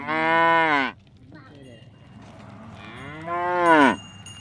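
A buffalo gives two deep, drawn-out moos, the second swelling and bending downward at its end.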